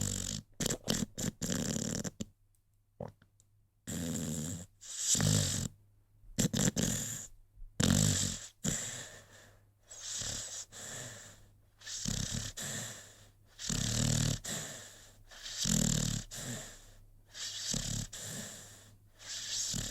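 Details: Sleeping American Pit Bull Terrier named Rocky snoring: choppy, noisy breaths in quick clusters early on, then steadier snorts about every one to two seconds, with brief silent gaps between sections.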